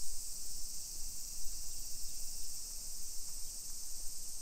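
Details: Cicadas in summer along a residential hillside street in Nisshin city near Nagoya, Japan, 28 July 2021, early afternoon; a continuous shrill high drone sits over uneven, thumping low rumbles from the street.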